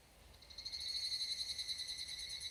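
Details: Higurashi cicada (Tanna japonensis) in a summer mountain forest at dusk in Japan: a high, ringing tone that swells in and pulses rapidly in a steady trill, with a faint hiss of background insects.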